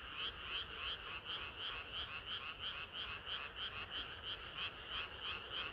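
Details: Frogs singing together on a hot summer night: a dense chorus of bright, pulsed croaks repeating about three times a second in a steady, overlapping rhythm, with no other sounds.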